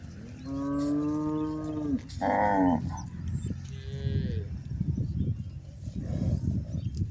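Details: Village herd of cows out grazing on green pasture: a long low moo followed by a higher strained call and a fainter third, then grass-tearing and chewing sounds.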